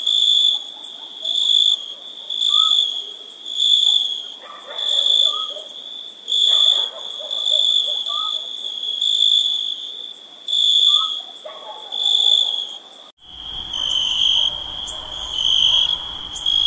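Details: Summer-night cricket chorus, shrill high-pitched trills swelling and fading about every one and a half seconds, with soft short notes underneath; an abrupt cut near the end, after which the same steady chirping continues.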